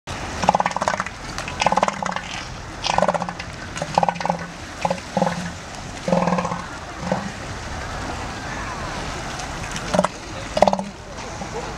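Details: Elephant seals at a point near Morro Bay, California: a series of short, deep, throbbing pulsed bursts, repeated roughly every second in groups, over steady wind and surf-like background noise.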